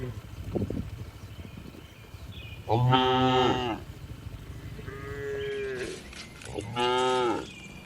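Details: Tame cows being herded back to the barn on an afternoon in the village; three moos, a loud bright one, a softer lower one and a final rich call, over faint rustling and thumps.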